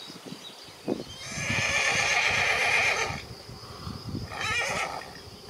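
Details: Arabian stallion watching over mares; a loud, high, quavering whinny lasts about two seconds, then a shorter second whinny near the end, with scattered soft thuds and hoof sounds between.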